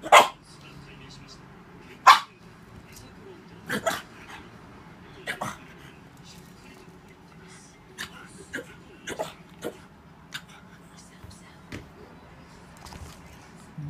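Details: An angry pug fighting a slow-feeder food bowl growls in low, grumbling bursts, with sharp clatters of the bowl breaking through.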